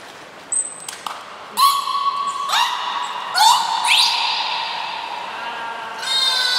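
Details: At Port of Nagoya Public Aquarium on 29 February 2020, captive belugas Niko and Mirai call during a training session. After a few sharp clicks come steady harmonic tones, some with upward sweeps, over a quiet hiss.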